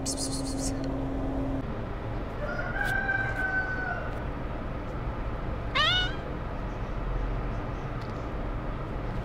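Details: Sick kitten held while its eyes are cleaned and eye drops are given, a little grumpy about it. A drawn-out, level meow is followed by a short, rising-then-falling mew, over steady background hum and a low tone at the start.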